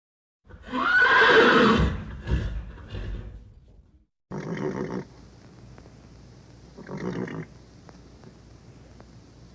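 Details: Vintage horse recording: a loud, quavering whinny rising then falling over about two seconds, trailing into rougher breathy sounds, followed by two short, low, pulsed snorting bursts over a steady hiss.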